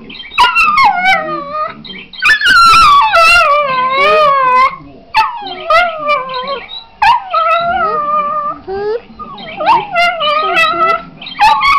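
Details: A Patterdale terrier × Border terrier cross 'sings', giving long wavering howls that slide up and down in pitch; it takes about 30 seconds to get going.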